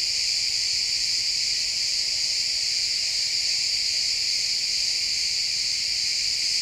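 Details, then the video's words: Pine forest at sunset filled with chirping crickets: a constant shrill, high buzzing wall of overlapping insect trills, even in loudness throughout, with nothing else standing out. "Cricket sounds in the pine forest"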